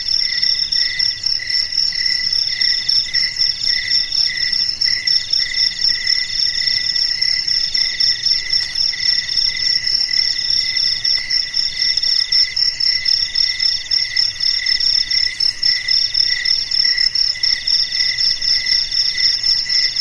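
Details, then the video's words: Crickets singing through a still night, continuous shrill pulsed chirping in stacked high tones, rhythm steady and rapid for the whole stretch, a dense unbroken insect chorus with no other sounds. "SUARA JANGKRIK MERDU DI MALAM HARI"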